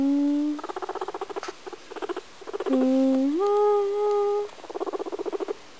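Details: Pet guinea pig Kadoc singing indoors: rapid pulsed chatter trains alternate with held tonal notes, one low tone stepping upward into a higher sustained note, then more fast pulsing.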